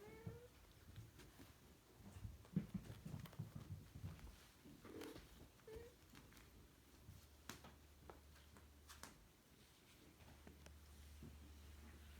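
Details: Bengal kittens at play indoors: a short high rising meow opens, another brief mew comes near six seconds, set among soft thumps, scuffles and patter of playing paws, with a low steady hum underneath.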